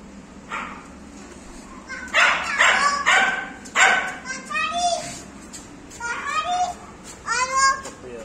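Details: A female Welsh Corgi puppy gives high, squeaky yips and whines that slide downward in pitch.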